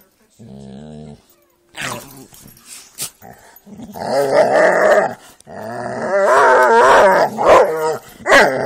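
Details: Playing Jack Russell and pit bulls; a short low growl opens, then rising rough growling and yipping vocalisations building into a long, loud, noisy tussle with thumps.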